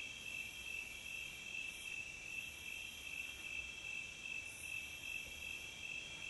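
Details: Continuous cricket chorus from a nature recording: high, thin, rapidly pulsed chirps forming even bands throughout, with two short airy swishes and a soft low rumble underneath.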